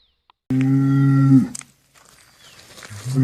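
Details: A cow or bull gives one low, steady, flat-pitched moo of about one second, then quiet rustling and the onset of a second low call.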